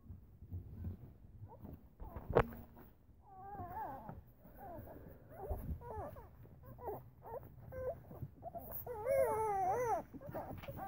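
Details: At morning feeding, 11-day-old Newfoundland puppies sensing their mother nearby let out clear, wavering, up-and-down whining squeals in quick runs, loudest in a bent, sliding chorus near the end, with one sharp knock early on.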